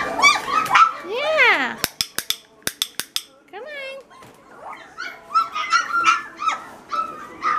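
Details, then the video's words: Great Pyrenees puppies of a litter at feeding time give high whining yips with rising and falling harmonic sweeps, a burst of sharp clicks or taps in the middle, then more short whimpers; a voice is faintly heard. "Chow time for our Great Pyrenees babies"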